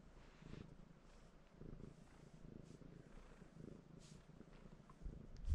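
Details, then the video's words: A cat perched on a person purrs, asking for pets: deep, soft rumbling in gentle waves roughly each second, quiet and close, ending with a brief louder thump of movement. "Your cat is sitting on you, purring & wanting pets"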